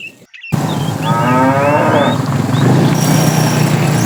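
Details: Herd of tame cows walking toward fresh pasture; a short, fairly faint moo comes early on, then a steady low rumbling noise takes over for the rest of the recording.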